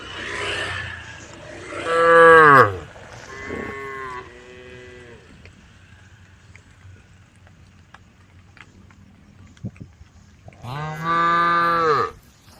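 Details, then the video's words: Herd of brown, white and black cows wandering along a dusty country road, calling one another: a loud descending moo, then softer overlapping lows, quiet stretch, and a final long strong moo. "the sound of cows calling the herd"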